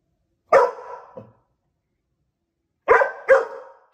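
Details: A Great Pyrenees puppy barks at itself in a mirror for the first time, sharp, harsh barks, one single and then a quick double.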